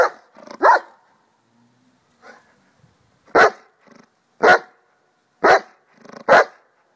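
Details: Excited schnauzer giving loud, harsh barks, a double bark at the start, then four strong barks roughly one second apart, with faint low sounds between.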